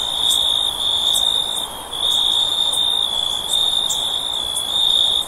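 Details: Near-continuous shrill insect trill at a single high pitch, dipping briefly about every two seconds, with faint higher ticks and a steady low hiss behind it.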